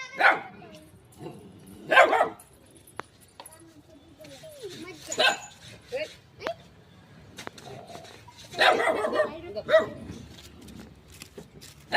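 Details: Little dog facing a shy cat lets out a series of short, harsh barks, several in quick succession near the end, mixed with Marathi chatter and light clicks in the room.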